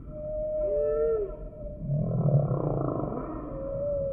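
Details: Humpback whale song sample: clear whistled tones gliding up and down, one sweeping upward then falling, over a pulsed low groan that swells in the middle, with a faint steady hum beneath.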